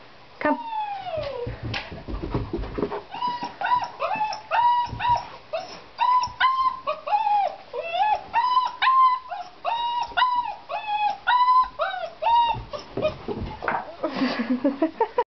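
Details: German Shepherd puppy, 5½ weeks old, working its way down a second flight of stairs, whimpering almost nonstop: rapid series of short, high, arched whines and yips, a few longer sliding cries, faint voices coaxing in between.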